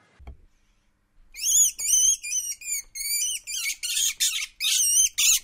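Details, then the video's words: Least weasel sound used to scare away moles: after a second of near silence, a rapid run of high, squeaky, chirping notes, each with stacked harmonics and a slight wavering pitch, repeated in quick uneven bursts. "Звук ласки для отпугивания кротов"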